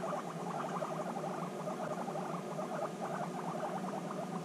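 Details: Guinea pigs reunited after six months apart, bonding intensely; rapid, closely spaced pulsed chirps in the mid range run steadily throughout over a constant low hum.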